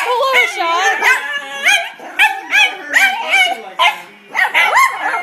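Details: Two male dachshunds, a red one and a black-and-white piebald, intimidated by a new golf club, bark in quick, high, sharp bursts, one after another in a rapid excited volley.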